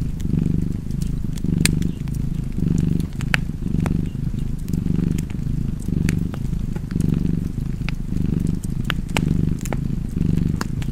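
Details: Domestic cat purring steadily beside a fireplace, a low rumbling drone that swells and fades with each breath about once per second, with sharp crackles and pops of burning wood scattered throughout.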